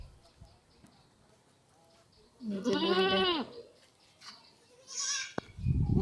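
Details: Newborn goat kid, recently born and unsteady on its legs, giving a loud, strongly quavering bleat lasting about a second, arching up then down in pitch; a woman speaks before and after, with brief rustling.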